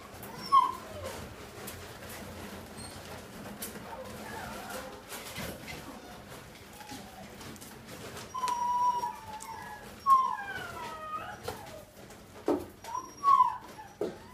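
French Bulldog and Lhasa Apso cross puppies give thin, high whimpers and squeaks in short bursts.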